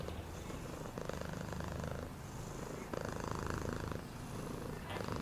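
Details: Domestic cat purring steadily: a low, continuous rumbling throb with rhythmic swells as breathing alternates, roughly every second, with faint clicks and background hum.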